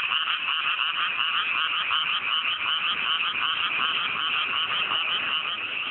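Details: Countryside frog chorus on a fine night in mountain rice paddies just after planting: rapid, rippling croaks layered over one another, steady and loud throughout with a constant trilling undertone.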